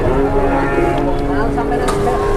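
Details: Cattle at a cattle market in Indonesia, a loud low drawn-out moo with steady harmonic bands, over heavy crowd chatter and engine-like rumble.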